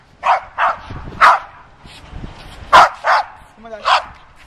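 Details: A dog gives short, sharp barks, about seven in four and a half seconds at uneven spacing, with a person's voice giving commands faintly in between.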